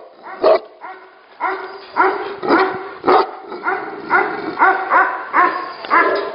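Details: Tibetan Mastiffs at a Tibetan Mastiff 'factory' barking in a run of distinct, rich harmonic woofs, about two a second, some overlapping from more than one dog, with brief quieter gaps between.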